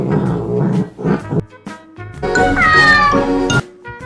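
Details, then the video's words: Domestic cat giving strange non-chattering cries: short muffled sounds early on, then one long descending meow in the second half, with background music running underneath. "채터링도 아닌 이상한 소리를 내는 고양이 울음 해석"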